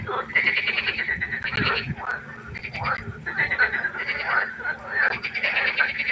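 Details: Frogs chorusing at night by a pond: dense, overlapping rattling croaks in pulsed bursts, swelling and fading every second or so, with several callers at once and no other clear sounds.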